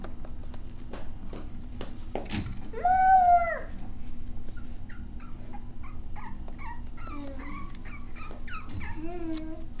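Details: Six-week-old Cavalier King Charles Spaniel puppies at playtime: one long, high, arching whine near the third second, followed by a string of shorter squeaky yelps and whimpers, with scattered clicks and a low background hum.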